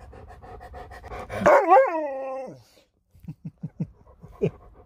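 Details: Pet Alaskan Malamute indoors, playing with its owner's phone: a wavering, harmonic woo-woo howl lasting about a second, sliding up and down, followed by a run of soft, short huffs and grunts.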